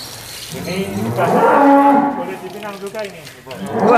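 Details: Angus bull in a pen in Indonesia lowing once, a drawn-out moo that swells and then fades over about two seconds, with water and background noise behind it.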